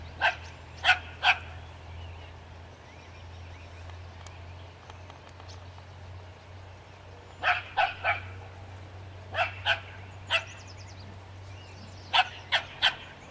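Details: Dog barking at a skunk in repeated bursts of two to four sharp, loud barks spaced a few seconds apart, over a constant low hum and faint high chirps.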